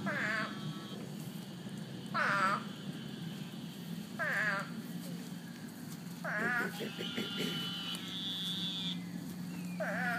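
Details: American bullfrogs in a flooded backyard give deep, twangy, resonant croaks, each a second or less and repeated every two seconds or so.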